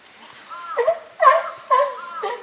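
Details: Captive group of California sea lions, led by the group boss Felix, at Higashiyama Zoo and Botanical Garden, Tuesday 12 September 2023. Four loud, harmonic, bark-like calls come in quick succession, each a wavering tone, against a quiet background.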